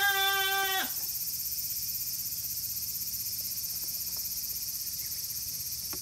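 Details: A baby goat roughly 40 days old at Yoshigake goat farm, Himi, Japan, 14 August 2018, name-tag day: one loud, steady, nasal bleat lasting under a second, then quiet farm background with faint knocks.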